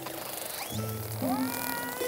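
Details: Northern Resident killer whales make tonal, squealing socializing calls, one sweeping sharply upward, over a steady hum, while rubbing their bodies on a shallow pebble beach, with pebbles heard being pushed around.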